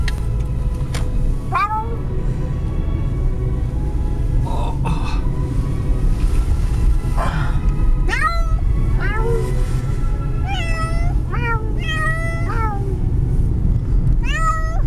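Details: Kitty riding in a car, meowing throughout the trip: scattered short meows early on, then a run of sharp, rising-falling meows every second or so over steady low engine rumble.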